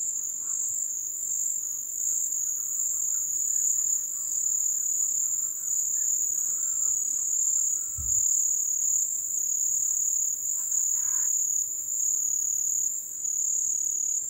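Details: Crickets recorded in the wild during the ebb (vazante) season: a continuous, shrill, high trill holds steady throughout. Faint lower insect buzzing sits underneath, and a brief dull thump sounds near the eighth second.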